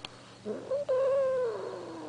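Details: Blind pet cat wailing while being chased: a drawn-out, steady, whining yowl of over a second that slowly sags in pitch at the end, with a person talking just before and after.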